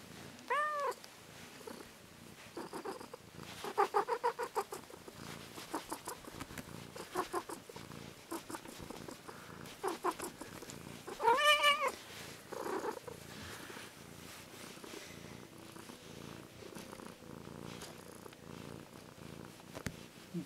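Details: Massage-loving house cat purring in steady rapid pulses for about twenty seconds, broken by a short meow near the start and a louder, complaining meow around the middle; a few soft rustles are heard.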